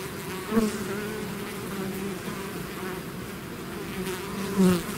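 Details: Bees swarming out of their hive give a continuous low droning hum, with two nearby individuals flying past at the start and end as short louder buzzes.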